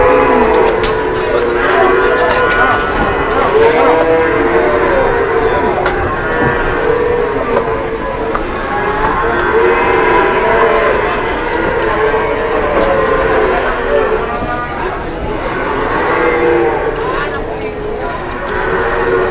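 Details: Big jumbo cattle mooing repeatedly, with overlapping, arching, mid-pitched lows every few seconds, strong harmonics, and a constant background hum of people and activity.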